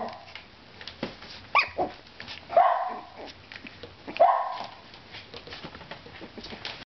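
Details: Four-week-old black-and-white parti-coloured Miniature Schnauzer puppies, alert and playing, give short, high yips and barks at irregular intervals.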